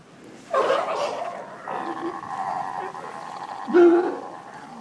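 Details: Seal giving a drawn-out, wavering moan. It starts with a loud burst, holds a steady droning tone for about two seconds, then ends with a second loud, lower-pitched call.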